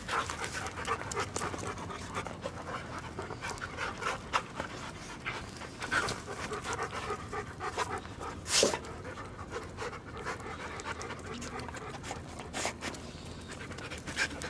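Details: Big family dogs, including a young Siberian Husky and two older mutts with arthritis, panting in steady quick breaths, with a louder rasping burst midway.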